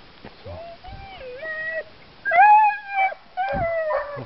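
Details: Dogs howling and whining in harness before the start of a bikejoring training run at Sowinki, January 2015. Wavering tonal wails dip and rise, with a stronger, higher howl midway. A man counts down and shouts go.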